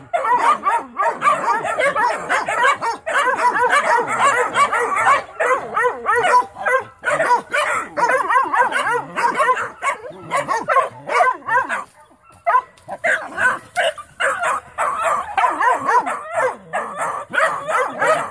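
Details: Several Mountain Cur pups getting training bark steadily at a young raccoon in a trap; overlapping high yips and quavering bays run almost without pause, dipping briefly quieter midway.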